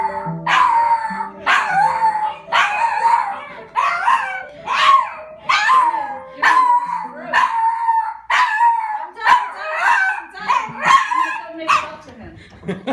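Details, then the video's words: Poodle upset by piano playing, howling and yowling in repeated drawn-out cries about once a second, each sliding down then levelling, over steady piano notes. "Poodle freaking out at piano"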